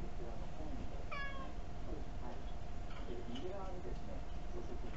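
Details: Pet cat sitting on a chair, begging for something tasty, recorded with a tiny camera indoors: a few short, thin meows, one clear rising-falling mew near the start, over a steady low background hum.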